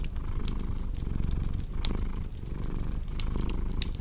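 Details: Cat's deep, rumbling purr swelling and easing in short breath cycles, with bright crackles and snaps from a fireplace popping over the top.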